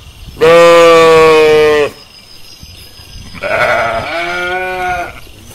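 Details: Sheep in a pasture: a strong, level bleat of about one and a half seconds, then a softer, tremulous bleat after a pause.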